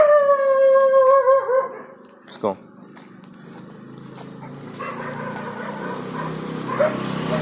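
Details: Labrador Retriever during leash walking training in Bangalore, giving a long, steady high whine with a slight waver for about one and a half seconds, then a short sharp yelp; a trainer's voice and quiet background hum follow.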